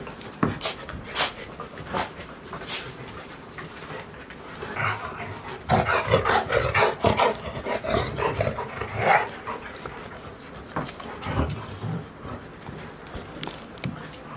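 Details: Golden Retriever puppies aged 65 days, named Sky, San and Hina, walking at Ain village on a hot 29 June 2018 after the rainy season; quick breathy huffs, denser mid-clip, with a few short sharp sounds mixed in.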